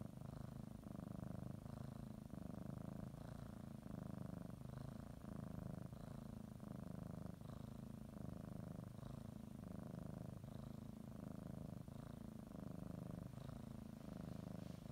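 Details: House cat purring as she settles for a morning nap, kneading a blanket; low vibrating purr pulsing with each breath roughly every second, with faint soft rustles of the blanket.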